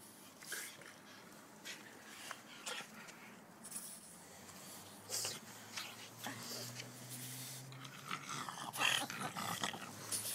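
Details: Benny the French Bulldog and nimble pug puppy Joon wrestle indoors; a low rumbling growl rises in the second half, over scuffling thumps, scratches and sharp clatters throughout.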